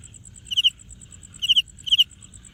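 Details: Wing-rubbing cricket: three crisp, high chirps, each a tight burst of three pulses, about half a second to a second apart, against a steady fast ticking background.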